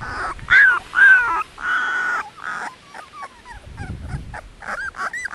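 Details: Dogo Canario puppies, 18 days old, from a litter of Annie v.d. Pretorianern and Mirko De Atlantida Can: high whining squeals and yelps in short bursts, some long sliding whines, then softer scattered whimpers.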